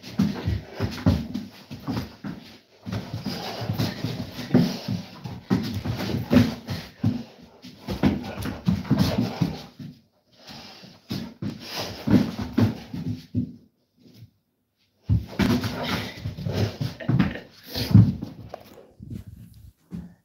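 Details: Indoors during a tug-of-war game, the Cane Corso Nova gives long stretches of low, rough, throaty growling with panting and whimpers. Two short silent gaps break it up. Faint scuffling is heard and little speech.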